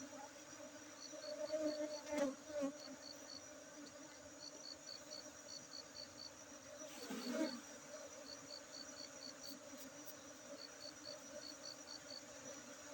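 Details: Honey bees at a honey bee centre in Aceh, Indonesia: a steady, low droning buzz with a faint overtone, swelling briefly around two and seven seconds, under short bursts of evenly spaced high ticks.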